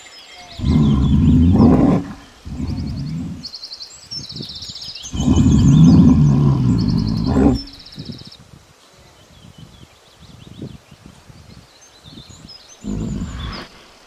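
A bear gives deep, rumbling roars in long bursts, with faint high tones over the top.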